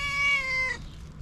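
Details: A female pet cat, described as cute and loving, gives one clear, steady, tonal meow lasting under a second that holds an even pitch and then stops abruptly; a person speaks just afterwards.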